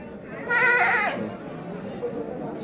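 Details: Young Bligon semi Jawa Randu goat, about twelve months old, kept for breeding in Java, Indonesia. One loud quavering bleat falls in pitch toward its end, followed by quieter talk.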